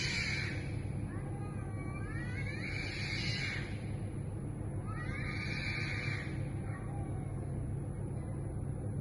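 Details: Community stray cats in a neighborhood wailing loudly at 2am while in heat: two long, drawn-out, wavering howls rise and fall over a constant low rumble and a high steady hiss.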